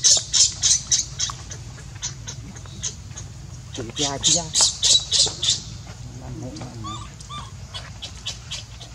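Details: Hungry baby monkey Leo cries for its mother's milk: rapid pulsed harmonic wails bunch together, then a few thin arched whimpers follow, among loud repeated high crackling bursts and constant low background hum.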